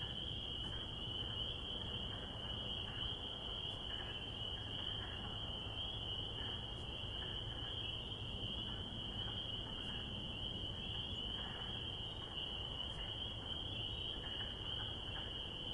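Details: Springtime spring peeper chorus: countless high peeps overlap into a continuous ringing tone, with softer brief calls flickering below and a persistent low-pitched rumble throughout.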